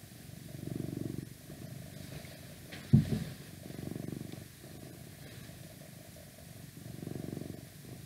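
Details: Close, low purr from a male house cat, rising and falling in regular swells every few seconds, with one brief knock in the middle and light background noise from outdoors.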